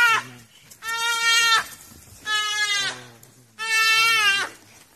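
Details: A duiker gives loud, harsh, bleating distress cries in bursts about a second long as African wild dogs pull it out of the water.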